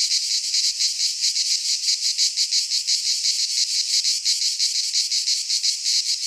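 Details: In a Greek pine forest at midsummer, cicadas keep up a loud, shrill buzzing drone that swells and dips in fast regular beats, about several per second.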